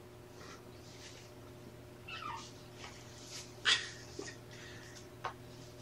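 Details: Young kittens of a rescued litter, mother Seraphina with three boys and one girl, indoors at Purrfect Pals on an afternoon in November 2018: soft, short falling mews and faint squeaks amid quiet room noise, with one sharp louder thump.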